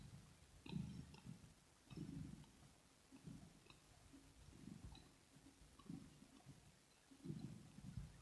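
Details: Soft, steady purring of the kitten Rosetta at close range, low vibrating bursts recurring at a slow breathing pace, quieter clicks and small mouth sounds scattered over a hushed room.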